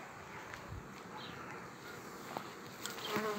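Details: Honey bees working a frame with a queen while a new colony is started from it; a continuous even buzz runs throughout, broken by a few soft clicks and knocks.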